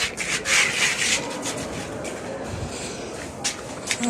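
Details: Rubbing and rasping noise like wood being scraped, with faint speech and no animal voice.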